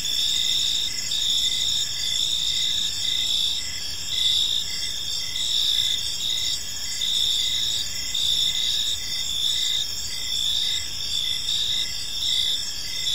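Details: Many crickets chirp together in a peaceful park as evening unfolds, producing bright high-pitched pulsing trills in several stacked layers, unbroken and even, over soft low background noise.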